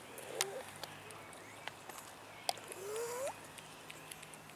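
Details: Park cats, abandoned and begging for food, produce one long upward-curving meow near the middle, with sharp clicks and faint voices outdoors.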